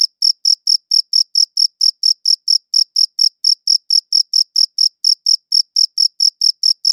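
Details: Sustained cricket chirping recorded with a quality audio recorder, a bright high-pitched pulse repeating regularly a little over four times a second in an otherwise silent setting.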